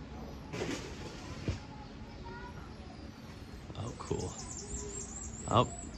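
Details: Emperor tamarins high up in trees in the South American section of Auckland Zoo, New Zealand, in an open enclosure without netting, give thin, very high chirps and short trills, partly covered by a man talking.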